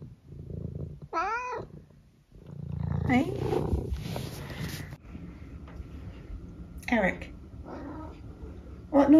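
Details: Senior tabby cat Eric from England meows twice indoors, two short bent cries several seconds apart, while a woman chats to him in between and asks what noise he is making today.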